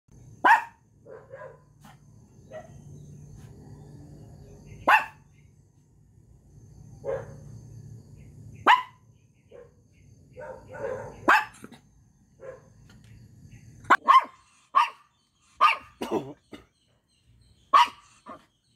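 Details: A micro miniature pinscher, a very small dog, gives sharp, high, yappy barks, singly at first, then in quicker bursts.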